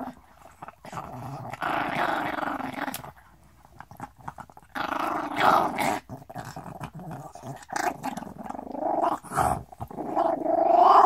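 A small Chihuahua growls in long rumbling bursts, breaking into sharp snaps between breaths.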